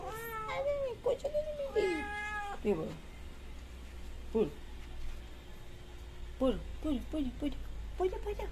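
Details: Mother cat fed milk in a yard alongside her three kittens, rubbing against legs; drawn-out wavering meows early, then a series of short downward mews, with a person speaking in the background.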